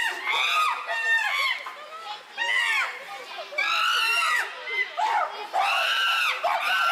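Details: Chimpanzees in an uproar at Tama Zoological Park, June 2022: loud, harsh screaming calls with arching, rising and falling tones come in bursts, overlapping voices filling most of the seven seconds with brief dips between outbursts.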